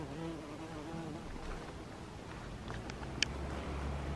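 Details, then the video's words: Bee buzzing inside a poppy flower: a clear, droning hum with rich overtones and slight pitch wobble for about a second, then fading into low rumbling background noise with a sharp click. "Bee buzzing in my poppy."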